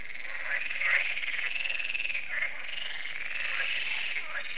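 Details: Evening frog concert at a lake in France (Lac de Sabatte): a steady wall of overlapping, pulsed croaks from many frogs, with a few louder rattling notes standing out early on.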